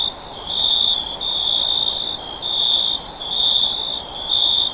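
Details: Cricket sound offered for sleep: a bright, high, steady trill broken into bursts of about a second, separated by brief dips, repeating evenly through the stretch with no other clear sounds.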